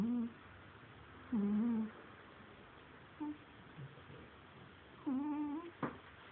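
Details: A sleeping domestic cat snores in a small room. Uneven, humming snore breaths alternate with a few shorter, softer puffs. One sharp click is heard near the end, against a faint low background hum.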